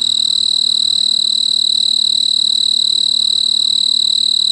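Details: A male snowy tree cricket (Oecanthus fultoni) stridulates from a large purple clematis bloom on a veranda in mid-August, trilling to attract a mate, a pure, high, steady trill pulsing rapidly and evenly without pause.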